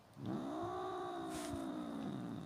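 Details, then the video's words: Pet domestic cat, held on a lap after knocking an object onto a tablet, gives one long, drawn-out, whiny meow lasting about two seconds that stays level and then sags slightly at the end, in a quiet indoor room. "Kedi sesi konuşan kedi"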